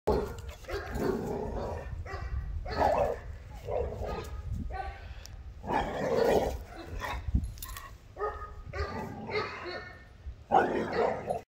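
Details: An American Pit Bull Terrier puppy that has spotted a coyote gives rough, repeated barks and yips, with a person talking in between.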